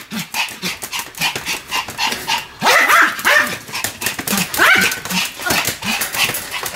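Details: Sam the Pomeranian barks continuously while spinning fast; short yips repeat several times per second, with a louder burst of higher, rising barks after a brief gap midway.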